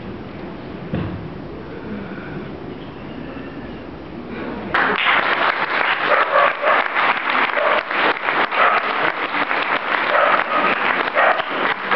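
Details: Quiet murmuring indoors, then a sudden burst of loud, sustained clapping and applause from a crowd that runs to the end.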